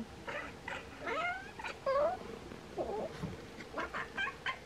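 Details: Bengal cats Bonnie and Isla, watching swallows gather before migration, give warbling chirrups that sweep up and down, a trilled burst near the middle, and soft tweets around them.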